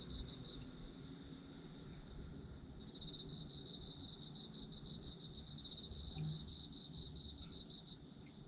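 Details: Chorus of autumn insects: a continuous thin, shrill ringing with faint trilling that grows into a louder, fast-pulsed trill from about the third second to the end.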